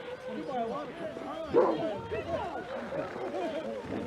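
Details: Several Alaskan Malamute sled dogs of Mush Larose Sled Dog Club in freezing Ontario weather, -30 degrees C, giving many overlapping wavering whines and yips in a dense chorus, a human voice faintly among them.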